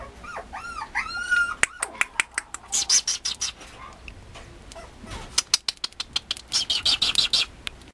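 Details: Mame Shiba Inu puppies at a breeder's kennel give high, wavering whining yelps with rising and falling pitch in the opening second and a half, then sharp clicks and handling rustles take over.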